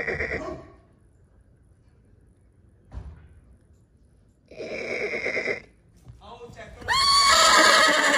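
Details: Horse whinnying, excited on hearing other horses. A short call and a sustained harmonic call are separated by quiet. A loud, shrill, wavering whinny closes the sequence. Faint laughter is heard near the start.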